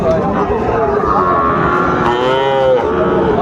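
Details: Sahiwal bull calf at Aftabganj cattle market, Dinajpur, Bangladesh, 1 July 2025; a low, wavering moo rises and falls beneath steady market crowd noise and talk.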